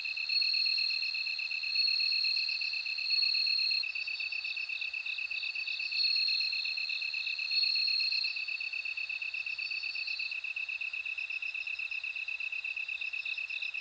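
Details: Shrill, sustained ringing trill of a bell cricket rising and falling in loudness in waves every couple of seconds, with a lower insect's rapid beaded pulsing running underneath throughout.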